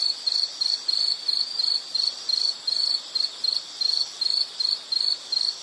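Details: Insect giving short, high chirps in a fast, slightly uneven series, roughly two to three each second. Each chirp is a brief buzzy burst, over a quiet hiss.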